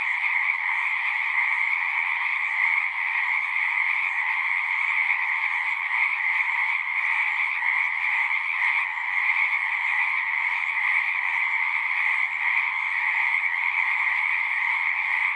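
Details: A long, even wash of singing frogs, many overlapping trills forming a constant two-band drone with faint rumbles low in the background and no pauses.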